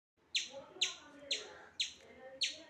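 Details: A hungry squirrel that regularly visits a home and had not come that morning gives sharp, high, bird-like chirps, repeated about twice a second, calling for food; the owner later remarks it is a female.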